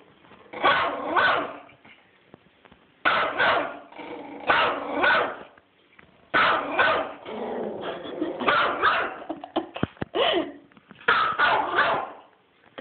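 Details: Teacup Yorkshire Terrier excitedly chasing turtles: bursts of sharp, yappy barks mixed with growly grumbles, in clusters of about a second separated by short pauses, with a person urging the dog on.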